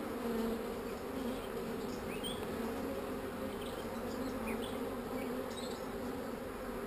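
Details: Honey bees described as not so angry, humming steadily at a hive during a beekeeper's inspection; a continuous low drone with two bright steady bands and faint higher chirps above, with no speech.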